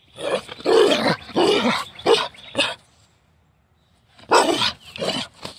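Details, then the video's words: A Carolina dog, or American dingo, in free-style morning play makes long, harsh, roaring growl-barks in bursts, broken by a brief silent gap before another rough outburst. "Free style morning play, Carolina dog, American dingo"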